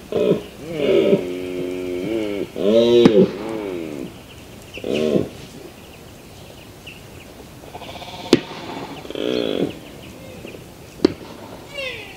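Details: Mouflon, a wild sheep, giving a run of quavering, harmonic-rich bleats: a long wavering call at the start, then shorter ones at intervals of a few seconds. Sharp clicks come in between against a quiet background.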